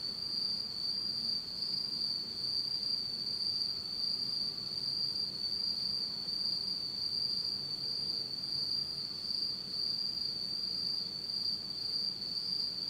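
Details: Japanese autumn insects calling at night in total darkness: an even, shrill ringing trill held without pause for the whole stretch, with a faint high overtone and quiet low rumble.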